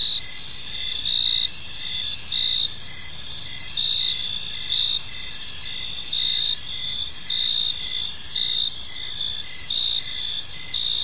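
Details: Evening park chorus of crickets: bright, high continuous trilling with a louder pulsed chirp returning about every second, the beats slightly irregular, over faint low environmental hum.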